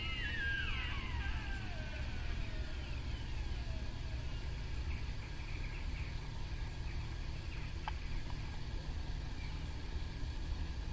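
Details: Sika deer recorded at RSPB Arne, Dorset, on 15 October 2013: a high descending whistled call at the start, fading into softer wavering notes, set against persistent low engine-like rumble.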